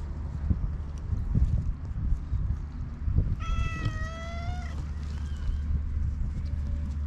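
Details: Black stray cat uttering a single clear meow of just over a second, slightly falling at the end, against a busy background of low rumbling, thumps and handling noise.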